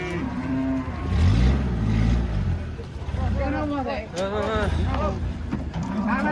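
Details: White horned cattle arriving by truck at an Indonesian market for unloading; a deep low moo followed by a run of higher, wavering bellows from several animals, with a man speaking, engine rumble and a sharp air-brake hiss.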